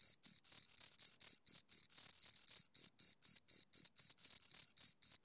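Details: Two crickets chirping: high, shrill pulses roughly four per second, some running together into longer trills, steady throughout with a silent background and no other sounds.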